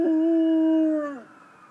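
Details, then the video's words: Rottweiler howling at ambulance sirens: a single sustained, steady mid-pitched howl that holds level for about a second, then slides down and fades away. "Rottweiler howling at ambulance sirens"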